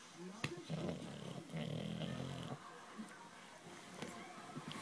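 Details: Pet bulldog snoring indoors: low, rough rumbling breaths rising and fading in slow waves, with a few faint clicks in the room.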